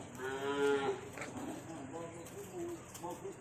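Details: Calves, part of ten delivered to a pen in Khon Kaen from a farm in Trakan Phuet Phon district, Ubon Ratchathani, give a short mid-pitched harmonic moo near the start. Quieter lowing and a woman talking in Thai follow.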